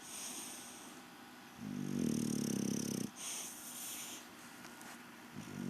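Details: English Bulldog Rocky Balboa fast asleep on his evening siesta, letting out one loud, buzzy, vibrating snore lasting about a second and a half, then quiet breathing.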